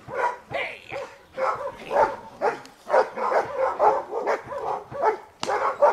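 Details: Giant Schnauzer bitch named Dea vom Wasserschloß barking during protection training: a dense run of short, harsh barks, some paired and some overlapping, coming several times a second with hardly a pause.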